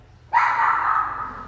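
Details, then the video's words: Pet Pomeranian, described as barking even at an orchid plant, gives one drawn-out, high, tonal bark. It starts sharply and holds steady for about a second before fading, with a quiet room behind it. "Nai khùng, cây hoa lan cũng sủa"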